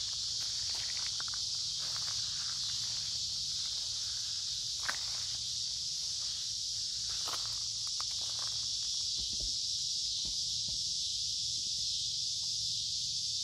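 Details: Many cicadas making a loud continuous buzz beside a creek in the woods on a warm, humid summer day; the high drone stays constant while a walker's footsteps rustle and crunch through leaves.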